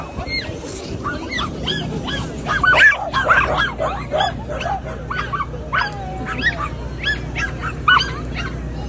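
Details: Excited pet dog on the way to class, giving a run of short high yelps and whining yips, some rising and falling, mixed with people talking and laughing nearby.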